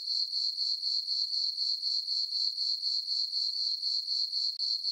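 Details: Crickets in a moonlit farm meadow on a summer night sing a sharp, tinkling chirp in fast even pulses, about four per second, with one brief break near the end.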